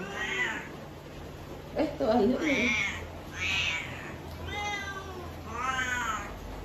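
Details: Domestic cat, called ugly-voiced, giving a run of about five harsh, harmonic meows spaced roughly a second apart, each wavering and slightly drawn out; a brief human voice cuts in near the middle.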